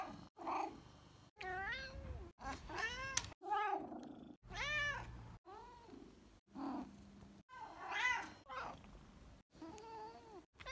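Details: Grumpkin, a grumpy pumpkin-coloured house cat rescued from a Russian monastery and living in Vienna, making his cute little noises: about ten short arched meows and trills in quick succession, clipped apart, with soft breathy sounds between.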